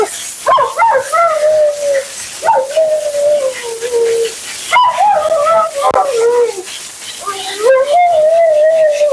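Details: A vocal Siberian Husky named Mila protests during her bath and blowout with a string of whiny, talking moans. Short yelping onsets give way to sustained wavering tones that droop in pitch, over rushing water or dryer noise.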